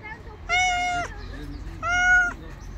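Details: Stray street cat, wary of the person but staying close while waiting to be given food, gives two drawn-out, clear harmonic meows, each about half a second long and a second apart, the second slightly falling at the end.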